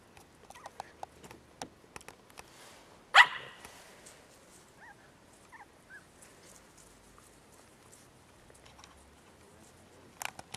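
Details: Mittelspitz (medium German Spitz) puppies out for a walk outdoors: one sharp, loud bark about three seconds in, then a few faint, short high whines. Scattered clicks and rustling sound against an otherwise quiet background.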